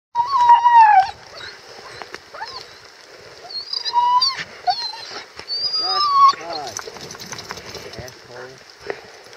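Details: Female Siberian Husky sheltering from a downpour while hiking in Staunton State Park, Colorado, making excited noises at the sight of horses: high wavering whines and squeaky yelps, some falling in pitch, in irregular bursts, with rain and people's voices in the background.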